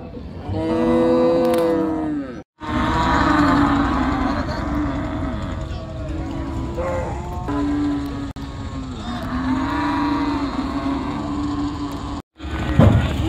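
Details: Cattle unloading at a crowded village cattle market beside a river: long, harmonic-rich moos follow one another, several animals calling in turn, with brief silent cuts between sections and background chatter throughout.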